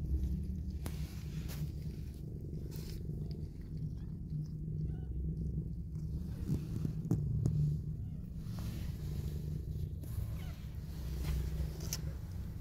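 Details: Mother cat nuzzling her newborn kittens purrs in a steady deep rumble, the pulsing drone running unbroken under light rustling and small clicks.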